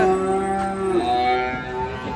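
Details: Cattle being unloaded from a truck, with calves among them. A drawn-out, harmonic lowing holds a steady pitch, then shifts lower midway, over background music and nearby voices.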